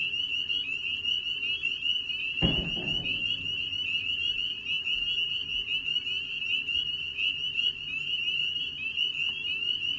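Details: Male spring peepers giving their breeding call in spring; a dense chorus of high, shrill whistled peeps merges into a steady piercing band, with one dull low thump at about two and a half seconds.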